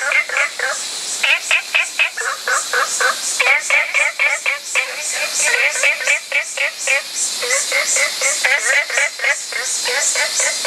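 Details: Olive frog (Babina adenopleura), call.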